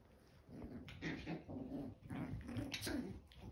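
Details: Eleven-week-old chihuahua puppies indoors in the morning, giving soft whimpering and grumbling calls in short bursts over about three seconds, with faint rustling.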